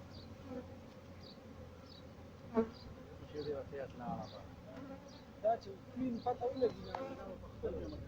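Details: Farmed honey bees in Pakistan giving a continuous low droning hum, broken by short bright chirps and brief clicks, with a faint broadband hiss behind.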